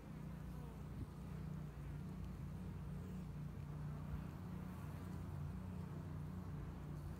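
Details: Honey bees working inside a two-year-old hive in Hickory Creek, Texas, during spring build-up before the honey flow; a deep, even buzzing drone held steadily, with a soft click near the start.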